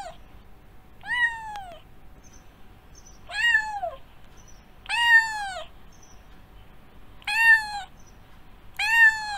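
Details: Domestic cat producing five short meows, each falling in pitch, repeated roughly every two seconds at moderate volume over a quiet background.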